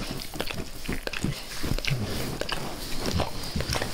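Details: Max the dog eagerly licking his owner's face at close range indoors: a dense run of wet, smacking clicks and slurps, some louder lapping bursts, with no talking.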